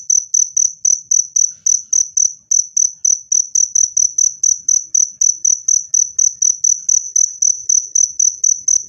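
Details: Loud, clean cricket chirps meant to scare off rats and calm stressed birds: a steady series of sharp, high pulses at about two per second, uninterrupted.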